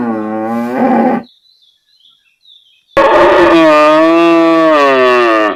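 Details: Cow in a village area: the tail of one moo fades out, a brief lull with faint chirping follows, then a long, steady, full-throated moo lasts nearly three seconds.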